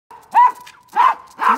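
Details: Female pet Akita, grown very large but still childlike, kept with other dogs and cats; three loud, sharp barks about half a second apart, with a faint steady tone between them.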